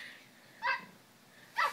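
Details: Young male Frenchie-Pug puppy, nine weeks old, playing inside a pillow slip in a room, producing two brief bright yips about a second apart over quiet background hiss.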